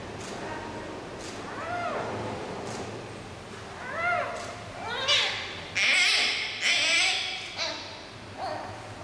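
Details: Fussy cries from Yuan Zai, a 39-day-old female giant panda cub at the zoo, as her mother Yuan Yuan tries to settle her. Several short rising-falling squeals come in quick bursts, broken by loud rustling and handling noises near the end.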